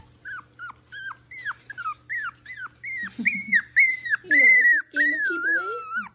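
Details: Miniature Schnauzer puppies, six weeks old, of the Joy/Kaiser litter in Mission, British Columbia, at play with their mother. About a dozen short, high whimpers, each sliding downward, come in quick succession, then give way to longer wavering whines over a low gruff undertone.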